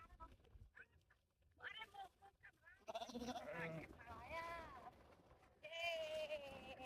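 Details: Chased sheep bleating in several wavering, overlapping calls from about three seconds on, over scattered voices and rustling noise.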